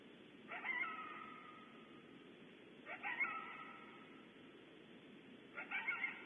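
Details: Recorded at Starr Ranch, one or more coyotes give three harsh, drawn-out barks, each trailing into a short wavering whine, spaced about two seconds apart over a low background hiss.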